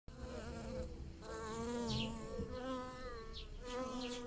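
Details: Bees buzz steadily over blossoming lilacs in a garden while pollinating them, a low droning hum that wavers slightly in pitch as they move about.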